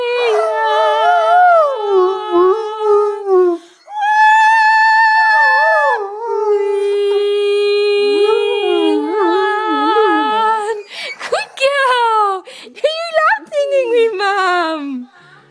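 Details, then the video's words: A female Great Dane, lying beside her owner on a bed, howls along while the owner sings, in long, wavering, mid-pitched notes that bend up and down. "Great Dane singing"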